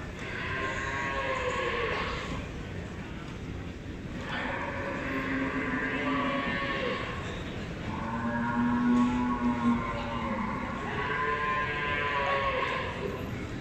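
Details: Beefmaster females at the Expo Guadalupe 2019 cattle show judging; several drawn-out harmonic lows, one near the start, others around four and eight seconds, over constant background crowd noise.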